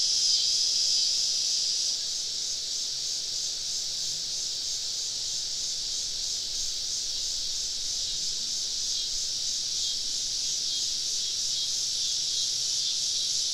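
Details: Cicadas in a southern forest on a summer evening, heard from a campsite in their midst: a constant high-pitched sizzling drone with quick, even pulsing, briefly louder at the start, plus a faint thin whistle early on.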